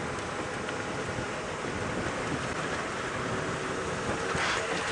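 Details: Steady rain and a low rumble fill the air, with no animal calls standing out.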